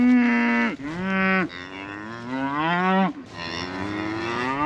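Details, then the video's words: Scottish Highland cattle calling out because a calf is out: deep, drawn-out moos, each about a second long, with rich harmonics that bend upward at the end. Three calls follow one another with short breaths between. "Scottish Highland Cattle Mooing"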